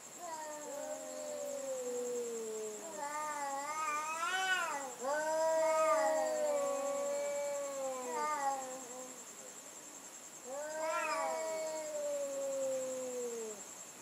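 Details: Cats yowling at each other at night in a sound battle, wavering drawn-out cries with rich harmonics, some bending up then down, louder overlapping bursts midway, a steady high hum underneath throughout.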